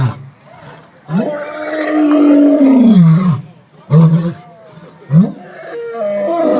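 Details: Huge lion at the San Diego Zoo gives a loud roar right after sneezing: a long, deep, moaning bellow that slides down in pitch, followed by shorter grunting roars in a series.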